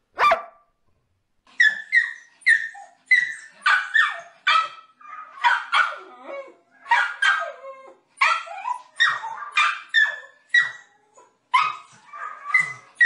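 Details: Happy pet dogs barking for fun in a compilation of playful moments: a fast run of sharp, high yappy barks in quick bursts, roughly two per second, with short pauses between volleys.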